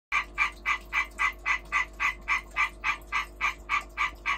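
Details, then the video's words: European green tree frog calling during breeding: a fast, steady train of short raspy croaks, about three to four per second, each with energy around 1 to 2 kilohertz and a faint steady hum beneath. "Hyla arborea European green tree frog breeding calling behaviour"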